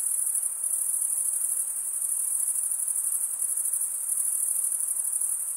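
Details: Summer night in a forest, crickets chirping together in an unbroken, shrill, high ringing chorus that shimmers with fast regular pulses.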